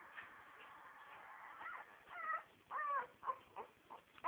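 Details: Nine-day-old Staffordshire bull terrier puppies whimpering indoors: soft, faint squeaks at first, then three louder, clear arched squeals that rise and fall in pitch over the second half, separated by short pauses.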